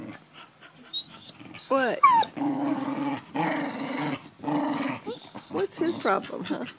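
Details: Pet dogs howling in chorus as one misses her owner and the rest join in: curved, bending howls, a sustained low moaning tone, and a person's voice talking between the calls.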